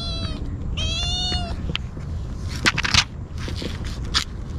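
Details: Desperate cries from a stray kitten gulping Churu and Sheba food, GoPro recording: two clear, harmonic meows open the clip, the second longer and wavering, followed by clicking and smacking eating sounds.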